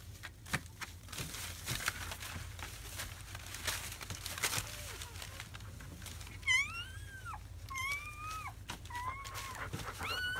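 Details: Seven newborn German Shepherd puppies, four males and three females, in their first hours after birth on 7–8 May 2017. Soft clicks and shuffling give way after six seconds to high, arched whining cries repeated several times.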